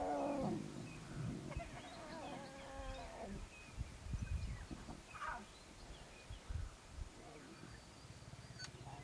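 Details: Wild lions: seven cubs playing around their father, the male Junior Nkuhuma, and jostling to suckle from their mother. Several short harmonic moaning calls over the first three seconds, then scattered low rumbles and thumps, with faint bird notes.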